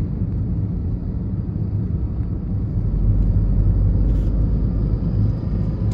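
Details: Loud, continuous road and engine rumble from inside a moving car, with no animal sound.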